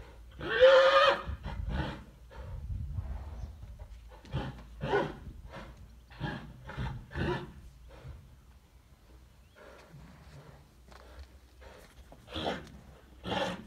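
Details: Chestnut horses and dapple-grey fillies: a short high whinny at the start, then repeated low snorts and blowing bursts, with hoof sounds and people in the background.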